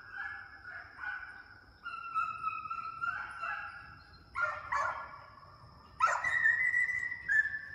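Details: Young deer-hunting hound pups running coyotes in a fox pen during summer conditioning; drawn-out, wavering bawls overlap from several dogs, with a steady high whine running throughout.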